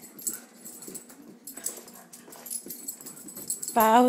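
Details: Pet dogs playing together indoors while a person tells them to be nice; snuffling, scuffling play noises, then a brief high wavering whine or yelp at the end.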